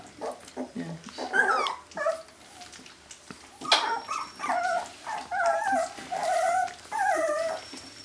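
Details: Jämthund puppies at a kennel in 2012 give a string of short arched whines and squeaks, several to the second at times. Quieter rustling and scuffling fill the gaps.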